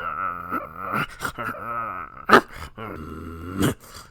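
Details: A puppy gives a wavering, groaning growl that rises and falls in pitch in several short bursts, with whiny overtones and two sharp louder yelps or barks in between.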